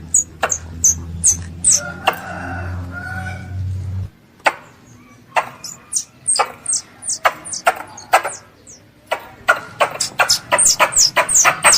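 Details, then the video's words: A pest squirrel calls its mother with bursts of thin, piercing chirps that fall in pitch, interspersed with snapping clicks. A low droning hum fills the first four seconds; the calling quickens into a dense run near the end. "THE SOUND OF A SQUIRREL CALLING ITS MOTHER"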